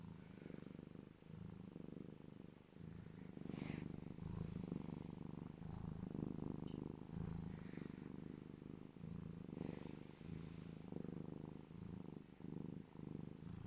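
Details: Happy purring from Legolas the serval during a cuddle: a continuous deep pulsing rumble that swells and fades with each breath, with faint higher rustles above it.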